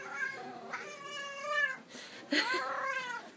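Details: A hungry, talkative Siamese cat meows indoors: a long drawn-out harmonic meow rising then falling, followed by a sharper, louder second meow, with a man coaxing it to talk.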